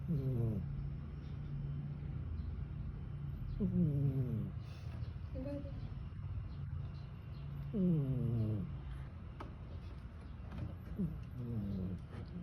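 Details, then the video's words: Sleeping pet cat snoring, as if tired from chasing a mouse the night before; short harmonic breaths that slide downward, repeating roughly every three to four seconds over a steady low hum. "snoring like a human"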